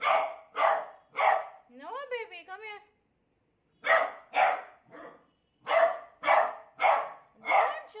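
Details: A beagle scared of a new cot gives three rapid barks, then a warbling, quavering howl, a pause, and a fresh string of loud barks about two per second.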